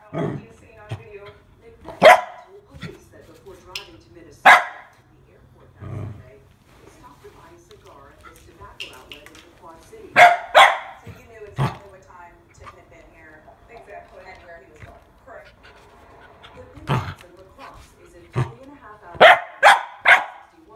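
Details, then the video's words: Nervous female mini goldendoodle puppy, scared of a water bottle, lets out sharp scattered barks in irregular bursts, with a person talking in between and quiet gaps. "GOLDENDOODLE PUPPY SCARED OF WATER BOTTLE"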